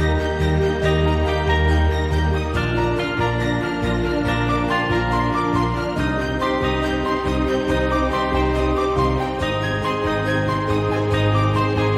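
Gentle instrumental music plays throughout, with steady low bass tones and no animal sounds.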